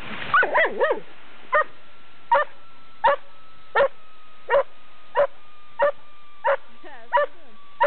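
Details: Riley, a pet dog playing with his rock, gives a quick cluster of yappy barks, then single sharp barks about every 0.7 seconds, over a steady electrical hum.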